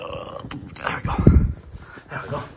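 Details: A female German Shepherd puppy, filmed for a piece about her being scared of a fake deer, gives one short, low, rough growl while her collar is put on, surrounded by a person's soft praise and chatter.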